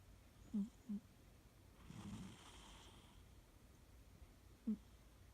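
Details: Siamese cat Fuu-chan fast asleep indoors, snoring heavily: two short low snorts near the start, a soft breathy rasp of an exhale midway, then one more brief low snort near the end, against a quiet room.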